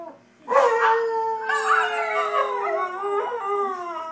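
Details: Pair of domestic dogs howling in a small room, a sustained, steady mid-pitched tone joined by a second wavering, descending voice, both voices layered and harmonically rich throughout.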